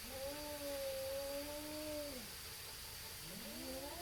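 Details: Cat, possibly a tabby, yowling at a rival neighborhood cat while the two stall a fight: a long low held moan that sags at the end, then a fresh rising wail begins, with a constant hum behind.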